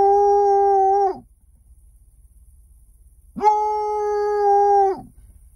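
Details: Sherlock, a Bloodhound puppy, gives two steady, mid-pitched howls, the second longer, separated by a short pause, on seeing cows for the first time.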